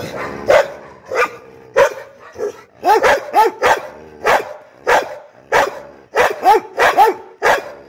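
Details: Angry pit bull barking in rapid bursts, about one and a half barks per second, harsh and forceful, some barks coming in doubles and triples with brief breaths between.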